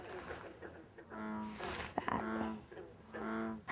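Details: At night, an American bullfrog calls in the distance beyond a chorus of green frogs, giving deep, rumbling, drawn-out calls about once a second; two bullfrogs call back and forth, not close to each other.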